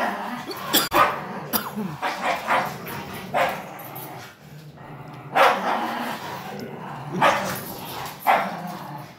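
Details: German Shepherd aged 9 months and 5-year-old Min Pin in a tug-of-war game; scattered barks and short yips separated by longer pauses, with rumbling growls and scuffling underneath.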